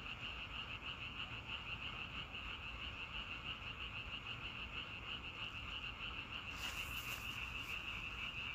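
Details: Outdoor frog chorus: unbroken, fast, pulsing croaks at about three per second, with a short burst of rustling noise near the end.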